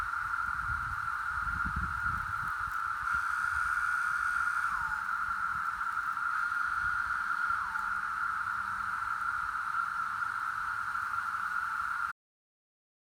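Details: Periodical cicadas of Brood X during an emergence, chorusing: a steady, unbroken droning hum holds one pitch throughout, broken by two downward-slurring calls near five and eight seconds, over low rumbling background noise.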